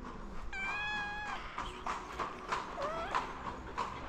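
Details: Hungry stray cats in Morocco, among them a ginger cat: one long, steady, richly harmonic meow, followed by shorter, softer mews and a rising-falling call, over low background noise.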